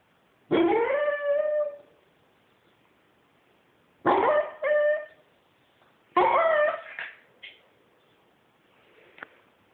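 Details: A male Corgi gives three insistent, whiny howling bursts, each starting sharply then trailing off, demanding belly rubs from his owner.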